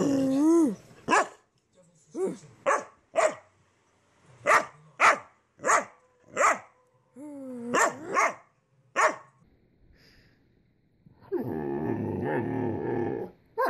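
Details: Young Great Dane puppy calling for attention: a run of short, high, sliding whines and yelps repeated about every half second, then a burst of loud broadband rustling noise at the end.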